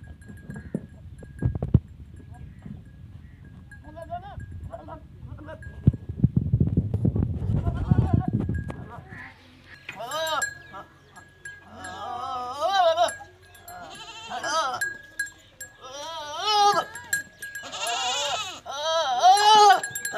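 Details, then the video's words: Goats during natural mating with a Teddy goat in Punjab province, Pakistan; after low rumbling handling noise, a series of wavering, quavering bleats repeats in bursts over the second half, with a steady background hum. "Natural Goat Mating First time"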